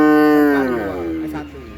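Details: Cattle being unloaded by a team: one loud, drawn-out moo with strong harmonic bands, steady then slowly falling in pitch and fading over under two seconds.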